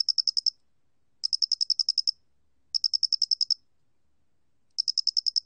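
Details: Square-headed cricket, recorded in 2020 by the National Institute of Biological Resources, giving clipped bursts of high, metallic ticking, eight to ten pulses per burst, spaced by gaps of about a second in clean silence.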